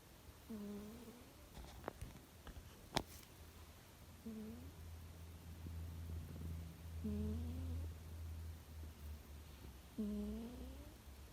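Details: Chuchu, a pet cat, snoring while asleep indoors in Hokkaido in early May, as the cherry blossoms open: a low voiced, harmonic snore repeats about every three seconds over a steady low hum, with a few sharp clicks near the start.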